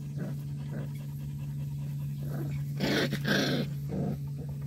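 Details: Black purebred Jindo dog giving low, rough panting and growling huffs in uneven bursts, with a pair of louder breathy rushes in the middle. A constant low hum sits beneath the dog.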